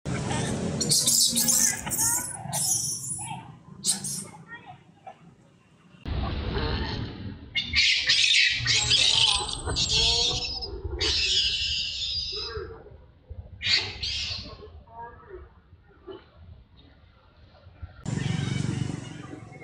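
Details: A sad baby monkey in Cambodia cries on the ground: shrill, harsh screeching bursts rising high, coming in clusters of several seconds separated by short quiet gaps, with some low rumbling background noise beneath.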